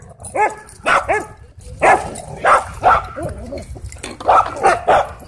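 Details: Worked-up dog at a dog park giving a steady string of ringing, arched barks and yips, roughly two to three per second at times, over a light outdoor noise floor.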